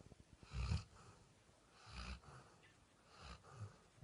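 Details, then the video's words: Vini, a Labrador Retriever asleep on the bed, snores in low rasping breaths, three snores roughly every one and a half seconds, the first loudest, fading after. "Лабрадор храпит"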